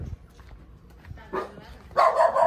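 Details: A pet Pomeranian dog gives a short yelp, then a loud, high, harmonic bark that is drawn out into a whine toward the end, over quiet indoor background.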